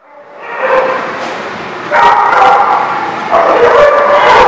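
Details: A dog barking loudly, with a rising onset then two further bursts of sustained, harsh barks about every one and a half seconds, bright and close in an open space.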